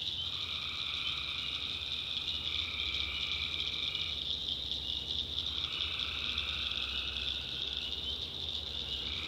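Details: A continuous shrill chorus of tree frogs at night in a North Carolina backwoods swamp. Two longer lower trills, each about four seconds, rise out of the background and then break off, while a faint low rumble continues.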